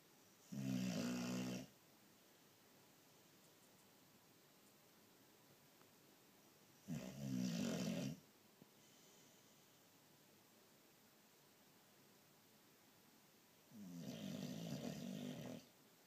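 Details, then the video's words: Pet boxer dog asleep indoors, snoring loudly: three long, rasping low snores about every six to seven seconds, each roughly a second long, with quiet pauses between. "SNORING DOG! VERY FUNNY!"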